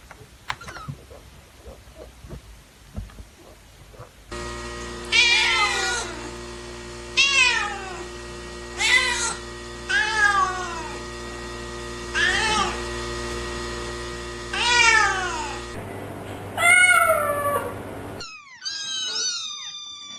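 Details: Newborn domestic kittens crying: drawn-out, falling meows repeat about every two to three seconds over a steady electrical hum, followed by shorter, higher mews in spliced sections.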